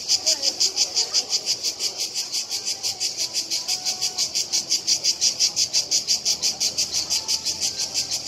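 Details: Two or more cicadas in Split, one moving closer, fill the air with a loud, high, rasping buzz pulsed very regularly about three times a second throughout, with faint low murmur beneath.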